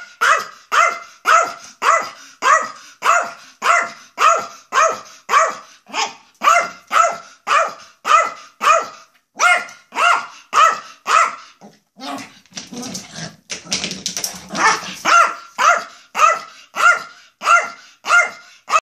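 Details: Yorkshire Terrier Maja, wildly excited to leave the house, yaps over and over in a fast, regular run of high barks, roughly two per second, broken briefly near the middle by a rustling, scuffling noise before the barking resumes.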